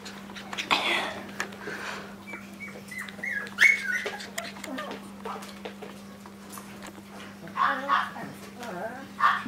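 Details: Maltese named Destino, from the Herzen rein kennel, giving a run of soft whimpers and thin, high rising whines, with a short sharper yelp near the middle. A steady low electrical hum runs underneath throughout.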